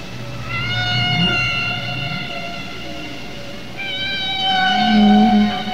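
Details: Humpback whale song: long, drawn-out tonal moans rich in overtones. Only males sing, probably to attract females, and they update their song over time.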